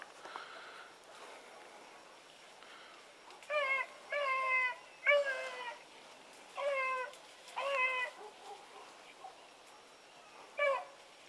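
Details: Dog pups Sassy and Magnum in training alongside Ringo and Boone: a run of six short, clear, harmonic-rich howling calls, each rising then dipping, spaced about a second apart, after faint earlier calls over quiet background.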